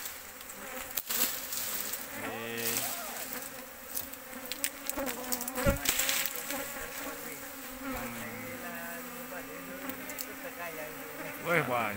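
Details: Asian honey bees, a large wild colony found in an oil palm plantation, many combs; steady low buzzing hum with layered harmonic tones, brief louder swells as bees pass close, plus a man talking and handling noises.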